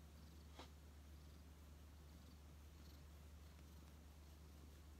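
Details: Rescued odd-eyed white cat Shaolin, taken in during autumn 2018 after appearing badly weakened, lies quietly on a lap seeking affection; a soft, steady low rumble of purring continues throughout, with one brief click near the start.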